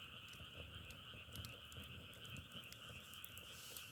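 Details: Frogs calling together in a dense, unbroken chorus, a steady two-toned trilling drone, with scattered sharp crackles like burning firewood over it.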